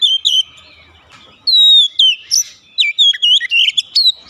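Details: Kept Oriental magpie-robin gives a long clean descending whistle, then a string of quick, bright twisting notes and short chirps in close succession.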